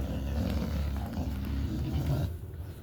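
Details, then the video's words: Pet dog growling indoors, one of two household dogs named Shelby and Cassie: a steady, deep, rumbling growl held for nearly three seconds, easing off at the end. "Shelby and Cassie makes different noises"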